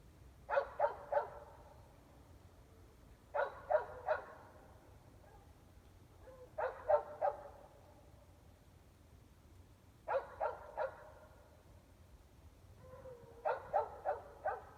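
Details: Barking dogs roughly 400 feet off, most of them inside a house, recorded at 8 pm on a February night in Emmett, Idaho; repeated bursts of three or four quick barks every few seconds, low hum underneath.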